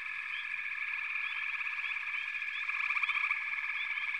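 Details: A dense frog chorus holds a constant high buzz, with sparse rising chirps over it. A rapid rattling trill swells in louder during the final second and a half.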